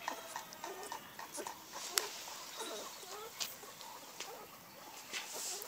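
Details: Chocolate Labrador Retriever puppies from a family-companion breeding line in Seville, Spain; soft curving whimpers and whines come in short bursts over a hissy background, with sharp clicks and knocks in between.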